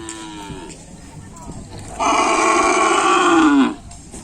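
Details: At a kerapan sapi training session on the Asemanis field, Pamekasan, one loud, rich bellow lasts nearly two seconds and slides downward at its end, after a softer moo and some talk.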